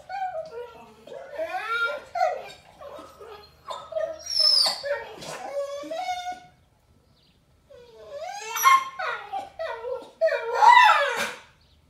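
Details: Thor, a German Shepherd Boxer mix recovering from surgery, whines indoors because he can't go for a walk: wavering, harmonic yowls and talking-back moans in two bursts separated by a brief pause, mixed with a person's voice.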